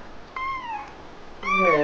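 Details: Jealous, sulky kitten meowing after its owner showed interest in another cat: a falling mid-pitched meow, a pause, then a louder, rougher, wavering meow.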